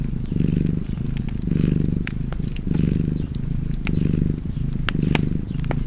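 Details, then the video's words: Close, deep cat purr with a fireplace crackling nearby; five slow swells of rumbling sound in under six seconds, each breath clearly marked, with bright snaps of fire between them. "Cozy Purring Cat ASMR / Kedi Mırlaması"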